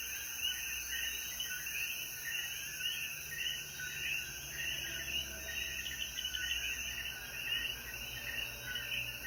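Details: Coquíes calling in the mountains of Jayuya, Puerto Rico, at sunset after the rain: a dense chorus of chirping notes packed in a midrange band, with steady high insect buzzing throughout and no other clear sounds.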